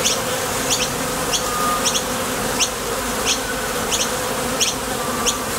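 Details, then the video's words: At a top bar hive entrance, honey bees come and go on nectar trips, making a thick, even buzzing drone. Paired sharp high chirps recur about ninety times a minute above the hum. "Bees Sound Effects | WHITE NOISE | RUIDO BLANCO RELAJANTE Sonido de las Abejas"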